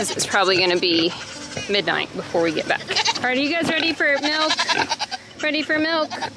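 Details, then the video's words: Baby goats screaming on weaning day on a farm homestead: overlapping, wavering, quavering bleats from several kids in quick succession, some rising then falling, with short gaps and possible human voices mixed in. "THERE is so MUCH SCREAMING! IT'S WEANING DAY for the BABY GOATS!"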